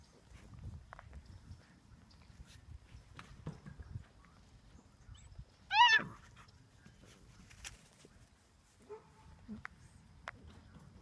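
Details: Six-week-old British Labrador Retriever puppies, from litters of black and yellow pups whelped in August 2015; one sharp, high yelp rises then drops away around the middle, otherwise quiet apart from faint rustles and soft thumps.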